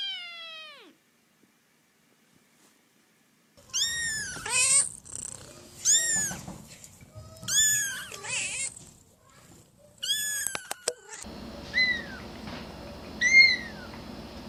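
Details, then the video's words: Falling meow, then a pause, then a run of excited, rising-and-falling cat meows about every one to two seconds amid shuffling and clicking sounds, with a hissy background toward the end. "So many cute Kittens meowing"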